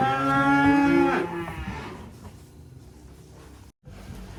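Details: Black sacrificial cattle unloading from a truck from a rural pen in Indonesia: one short, full moo, rising slightly then breaking off, followed by a quiet stretch with faint rumbling.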